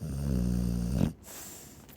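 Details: Chow Chow snore caught mid-breath, a loud guttural rumble with a fluttering buzz for about one second, ending sharply and followed by a softer exhale.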